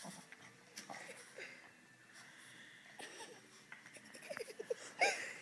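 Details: Boston Terrier indoors protesting because she wants her bed back; soft wheezy snorts and breathy grumbles, ending in a short rising burst of whiny growling vocalisations.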